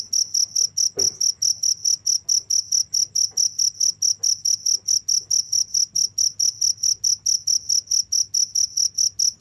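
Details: Steady cricket calling: sharp high chirps pulsing evenly, a little over two each second, with a brief soft knock near one second and a low background hum.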